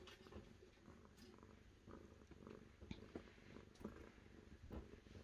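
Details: Close purring of a cat, a deep rumbling drone with soft rhythmic pulses and occasional light clicks or rustles over it.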